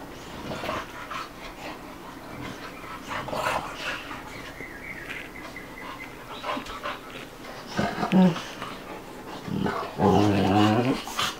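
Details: Two pet dogs playing together, Bubba, a 2-year-old American Bulldog, and Ruby, a 5-month-old Dogue de Bordeaux, panting and snuffling indoors, with a whimper and a few low growly vocal bursts near the end and faint voices.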